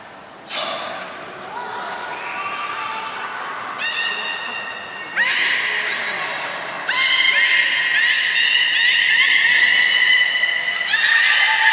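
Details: Beluga at Port of Nagoya Public Aquarium, 16 March 2019, around feeding and play time; sustained, stacked harmonic tones that start abruptly and grow louder in steps, overlapping squeaky notes, with faint voices in the hall.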